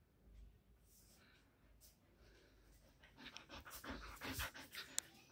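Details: Siberian Husky playing in a room, panting in quick, uneven breaths that grow louder and denser over the last two seconds, with a sharp click near the end and faint voices in the background.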